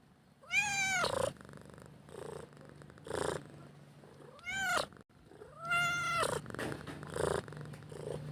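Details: Domestic cat asking for food gives two loud drawn-out meows with rich stacked harmonics that rise then fall, separated by softer pulsed purring bursts, with a steady low hum beneath.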